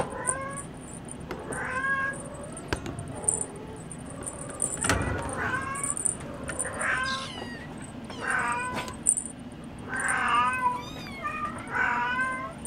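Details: Munchkin kittens born January 2015 play energetically at 5 a.m. in a cattery, calling with a string of short arched meows, roughly one every two seconds, growing louder near the end amid soft knocks and jingling.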